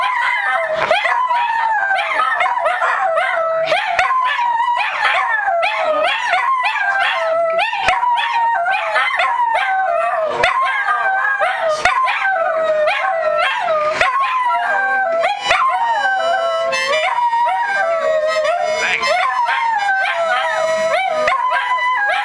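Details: Dachshund. Several dachshunds howl at once, their long, quavering cries sliding up and down and overlapping continuously. Occasional yips and short barks break through the chorus.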